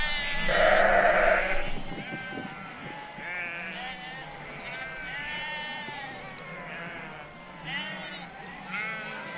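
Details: Sheep bleat in farm yards beside a running creek, one loud wavering baa then softer overlapping bleats from several animals, while a farmer works them with a sheepdog; faint yard noise underneath.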